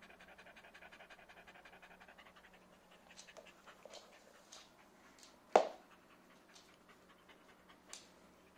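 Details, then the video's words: Soft rapid panting of a happy Corgi fading into scattered breaths, with a loud thump midway and a few clicks. "Happy Corgi"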